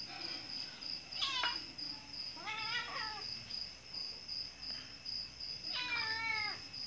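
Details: Domestic cat giving birth, giving three drawn-out, harmonic meows that rise then fall, each about a second long, spaced a few seconds apart, over a steady high trill of crickets in the background.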